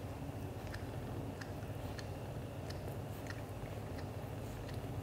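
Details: Leo, a black golden British Shorthair father, purring while showing affection to mother cat Mimi; a soft, steady low vibration with small licking clicks recurring roughly every half second.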